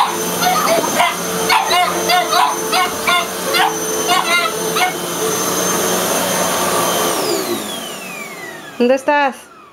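A Boston Terrier barks in sharp, repeated bursts over the steady whine of a vacuum cleaner.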